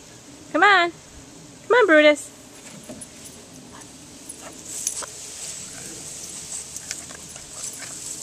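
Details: Boston Terrier Brutus at play in a summer sprinkler gives two short wavering yelps about a second apart, each rising then falling, before the spraying water's hiss takes over.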